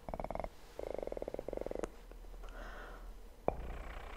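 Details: A kitten gives two short bursts of rapid, throbbing purring, followed by soft rustling and a single tap.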